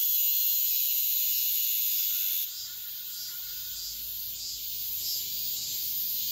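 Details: Cicadas singing at dawn in midsummer: a dense, continuous high buzzing chorus with faint pulsing, easing slightly in loudness partway through, with no other clear sounds.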